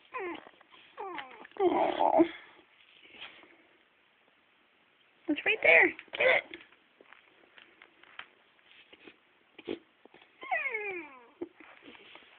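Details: Boxer puppy sobbing over a rawhide bone indoors: high, falling whimpers with bright harmonics come in short bursts, a sustained cry near two seconds and a descending whine series near the end, while a woman talks and coaxes in between.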